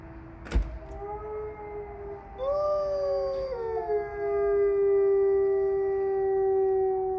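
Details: Wolves at Bay Beach Wildlife Sanctuary on 21 January 2023. One opens with a low steady tone, and another joins with a rising howl that swells, then settles into a long, slowly falling note. A sharp knock is heard early on.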